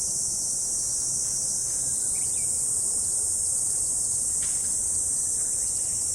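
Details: A steady shrill sheet of insect sound on an autumn morning, high and unbroken from start to finish, with a couple of faint brief chirps and a soft low hum.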